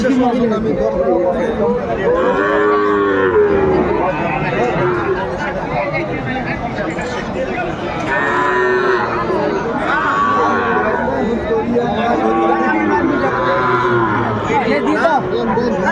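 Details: Sahiwal bull calves at a livestock market in Noakhali, Bangladesh, recorded 22 February 2025: long droning moos recurring every few seconds, buried under steady crowd chatter and bargaining voices.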